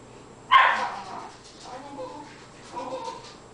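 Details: Cairn terrier watching a squirrel in about eight inches of winter snow gives one strong, harsh bark, then fainter grumbling sounds trail off over the next few seconds.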